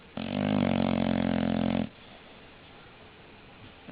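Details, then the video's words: One long, loud, buzzing snore from an English Bulldog lasting almost two seconds, followed by quiet breathing and the start of the next snore. "Funny snoring english bulldog"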